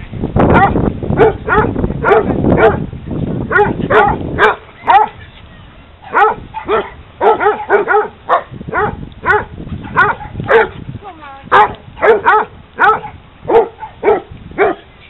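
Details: Hounds playing at a dog park, barking in a fast, uneven series of sharp, harmonic barks with strongest energy around the mid pitch, nearly two per second, a brief pause near the middle, background noise beneath.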